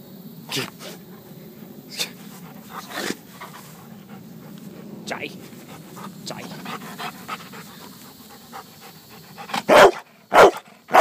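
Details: Ridgeback and Mastiff playing in a backyard: steady low rough growling and panting underneath, scattered sharp clicks and knocks, and a few loud bursts near the end.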